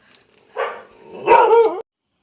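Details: A neighbour's dog in rural Isan, Thailand, gives two harsh, mid-pitched barks, the second longer and more strained, at an unfamiliar person climbing to pick papaya in the backyard.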